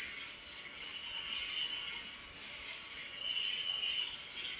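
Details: Constant high, ringing cricket chorus at night with rapid, slightly uneven pulsing and a quieter lower buzzing band beneath, nothing else heard.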